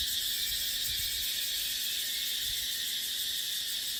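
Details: Unbroken high, hissing cicada chorus in dry dipterocarp forest during the dry season, steady and shimmering throughout, with soft low rumbles of wind underneath.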